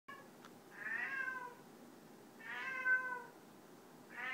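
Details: Male domestic cat singing, something he does several times a day and almost every night: two drawn-out wavering yowls of about a second each, a quiet pause between them, and a third beginning at the end, in a quiet room.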